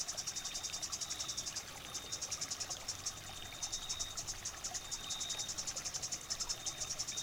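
A grasshopper makes dense, high, buzzy chirps in quick rhythmic bursts, several each second. A faint steady whine runs behind the pulsing.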